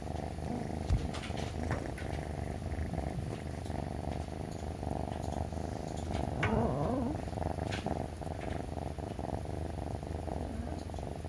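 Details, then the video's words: Three-month-old rescued male brown tabby kitten rubbing affectionately against its owner in the morning before its meal: an unbroken low, throbbing purr that swells slightly midway, with a brief faint squeak and soft handling noises. "すりすり ごろごろ が超かわいすぎた！"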